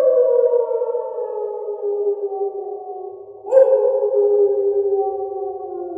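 A wolf gives a long, steady howl that slowly falls in pitch, then swells again.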